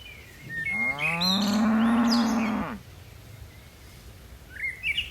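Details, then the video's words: Tame cattle of a herd descending a mountainside hill; a single long, steady, low moo of almost two seconds, flanked by brief bird chirps at the start and end. "Suara lucu sapi moo"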